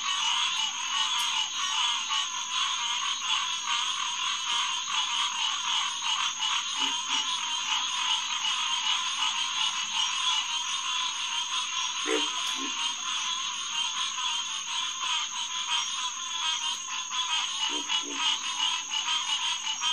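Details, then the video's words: Night chorus of many Hyla cinerea at SMNWR's Headquarters Pond, June 2, 2021, around 9:10pm: steady overlapping honking calls fill the air, with a few brief deeper croaks near twelve and eighteen seconds. "Green Tree Frog Chorus"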